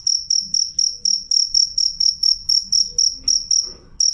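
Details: A clear, loud cricket chirps in steady shrill pulses about four per second, pausing briefly near the end before resuming; faint low background noise.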